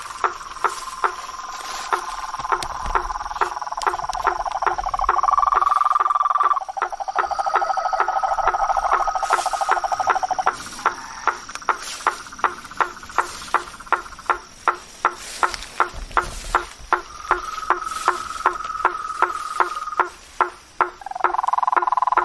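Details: Blacksmith tree frogs calling in a swamp at night: sharp knocking taps repeated about two or three times per second, over steady droning tones from other callers in a dense nocturnal chorus.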